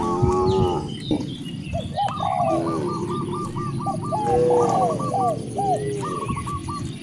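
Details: Hungry cows mooing toward vast rice fields in a village: a deep, harmonic moo lasting about a second opens the clip, then repeated short, hooked chirping calls from other animals continue throughout.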